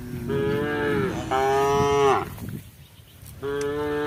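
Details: A cow in a herd moos in long, steady, slightly falling lows, calling to its herd as the cows eat together before nightfall.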